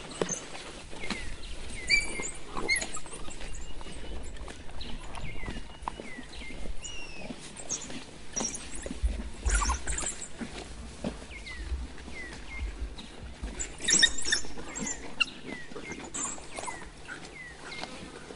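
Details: Excited African wild dog pack and pups feeding frantically at a fresh adult male impala kill, no dominance among them; repeated high, downslurred chirps in short bursts over constant chewing, tugging and rustling at the carcass.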